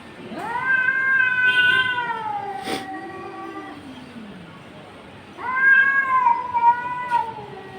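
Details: Cats confronting each other: a long, wavering yowl lasting several seconds, a falling low moan, then another drawn-out wail after a quiet gap.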